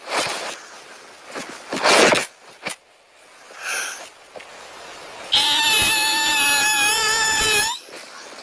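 A kitten gives a long, high, thin meow that holds steady and drops slightly at the end.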